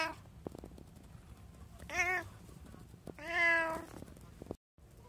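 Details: Domestic cat indoors, from a home with three cats (tabby, Abyssinian, short-legged Munchkin), recorded on 24 January 2024: a short meow followed a second later by a longer, drawn-out one, with faint clicks and soft room noise around them.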